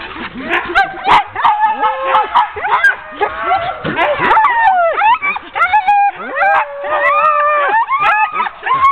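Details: A team of ten sled dogs clamours while being harnessed for a training run on 16 October 2010. Excited yips, short barks and sliding whines overlap constantly, some rising then dropping sharply, others held steady.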